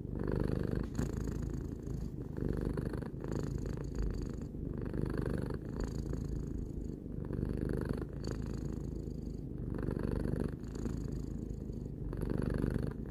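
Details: Three-year-old domestic cat purring: a steady, deep rumbling purr that swells and eases with each breath about every two seconds, with a soft airy hiss on each cycle and no other sounds.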